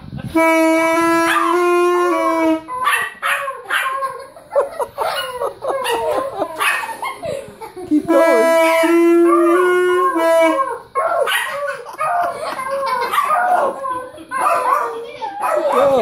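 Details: Yorkshire Terrier, a pet dog, howling and 'singing' along as a nine-year-old boy plays saxophone; sustained steady sax notes alternate with wavering, sliding howls and yips, voices heard in between.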